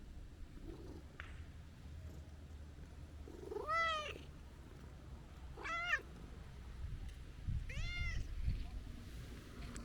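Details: Stray tabby-and-white cat scolding after a long absence with three drawn-out rising-falling meows spaced about two seconds apart, over steady low outdoor rumble and a few faint clicks.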